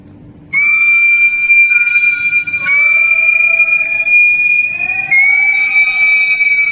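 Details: Two captive beluga whales in an aquarium, cued to sing by their trainer, give long, steady, high whistles with bright overtones in three drawn-out phrases.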